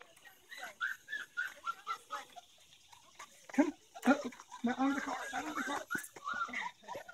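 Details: Golden Retriever puppies give thin, high whines and short squeaks in quick irregular runs, followed by a person talking and calling them over.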